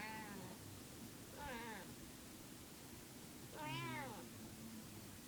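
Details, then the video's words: Female house cat possibly in heat utters three wavering, bending meows about two seconds apart over a hissy indoor background. "Weird noise cat"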